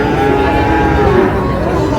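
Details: Sahiwal bull calves for sale at the opening of Ambari cattle market in Dinajpur on 10 July: a drawn-out harmonic moo holding steady in pitch over a dense crowd hubbub and talk.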